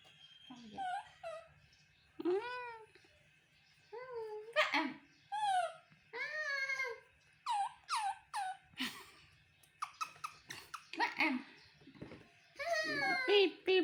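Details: ['Toro, a baby monkey, whimpers to get his mother to hug and comfort him: a run of rising-then-falling squeaky, whistled cries, some grouped in quick pairs, separated by short pauses in a small quiet room.']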